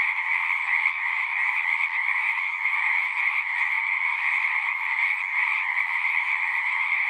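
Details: Many frogs sing together in an unbroken, even chorus, a constant trilling hum with no pauses and no other sounds.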